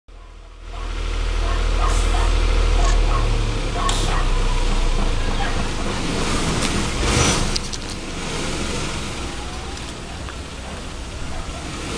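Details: Outdoor recording dominated by a running vehicle engine with low rumble, faint speech and traffic noise, and no animal sound heard.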